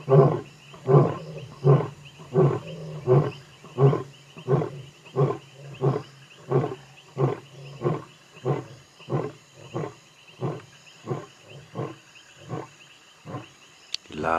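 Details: A muscular male African lion, one of two brothers, roars at night on the savannah near Kruger National Park after a giraffe kill, as they head toward water. Long deep grunting roars travel 7–8 km; lightning flickers distantly.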